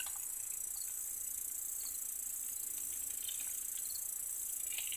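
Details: A hungry female Sedakov's bushcricket nymph (Gampsocleis sedakovii), attacking black cockroaches, gives a steady, very high-pitched hissing buzz that runs on without a break.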